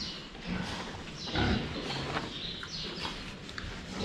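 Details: Several pigs at their drinking spot, seen from the front. A single loud, deep grunt stands out midway through, with fainter snuffling and sloshing water noise around it.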